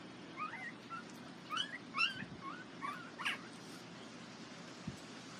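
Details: Border Collie puppies from one litter, photographed at the International Peace Gardens on 12 August 2018, whimpering: a run of short squeaky, wavering high whines, several in quick irregular succession over about three seconds, then quiet with faint rustling.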